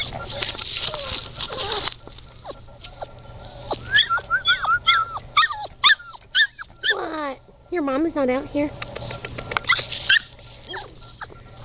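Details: Red Standard Poodle puppies giving a run of short, high whimpers and squeaky yips, some falling in pitch, a few wavering whines in between, with people talking and a steady high hiss in the background.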